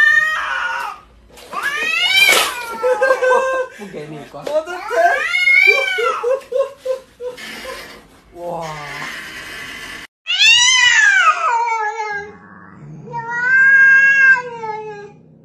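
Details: Cats producing long, bending meows and yowls that sweep up and down, mixed with human speech and laughter in a small indoor room.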